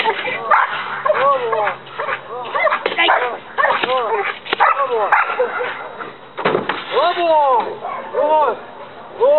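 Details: Belgian Malinois Dex, aged one, doing leg-bite work at a night training session in Trinidad. Loud, bouncy barks come in bursts between a man's spoken commands, with a steady low hum underneath.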